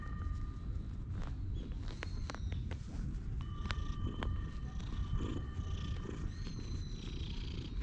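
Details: Low, steady purring rumble from a stray cat settled on someone's lap at a park bench as it is petted, GoPro recording; background birds give sustained whistles and short chirps, plus occasional clicks.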